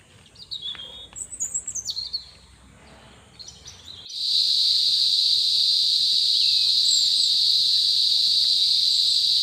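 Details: Crickets chirping where santol fruit lies scattered on the ground; a steady, shrill, high trill starts abruptly halfway and runs on without pause, preceded by brief high whistled sweeps and faint rustling.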